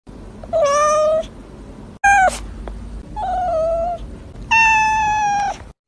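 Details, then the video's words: Cat giving four drawn-out meows over about six seconds, each steady and nasal with rich harmonics. The second is brief and drops sharply at the end. A faint low hum runs underneath. "Which meow do you like more?"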